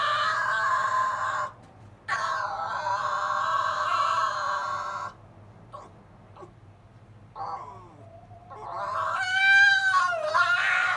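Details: Silver fox Zorro, the younger brother, pesters Tod with whining by the kennel in the evening; a long, steady nasal whine, a brief break, another sustained whine, then faint snippets before a rising and falling cry.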